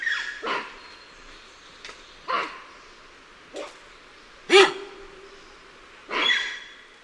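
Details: Alarm calls of lion-tailed and bonnet macaques heard from varying perspectives: five sharp, harsh barking calls spaced about one to two seconds apart, one ending in a brief tonal tail, over a quiet background.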